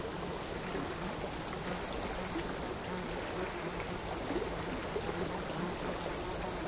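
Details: Crickets on a seaside sand hill at Altja, August 2022, captured with LOM Uši Pro mics and a MixPreIII: a continuous shrill high-pitched buzz of overlapping singers, one voice dropping out around two and a half seconds, beneath a constant wash of gentle surf.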